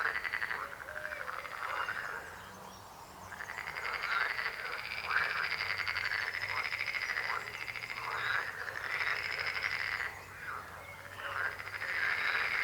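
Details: Frogs croaking in a dense chorus, rapid pulsed trills overlapping continuously at mid pitch, with higher harmonics above; rising and falling bursts, no other clear sounds.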